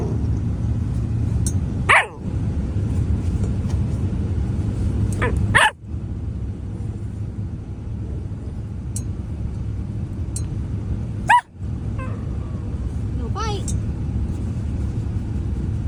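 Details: A grumpy Rottweiler puppy gives a few short, sharp barks and yips over a steady low rumble.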